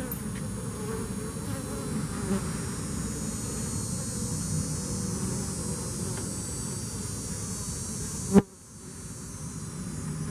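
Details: Many bees after Hurricane Harvey droning in a continuous low, rough hum; a sudden click near the end is followed by a quieter stretch before the buzzing returns.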